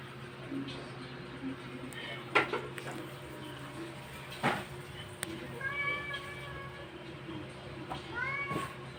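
A Persian cat gives drawn-out, arching meows during labor, with a steady low hum behind.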